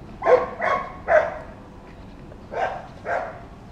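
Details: Dog that barks all day whenever children or other dogs pass by, giving five quick barks, three in a fast run then two more after a short gap, over a quiet background.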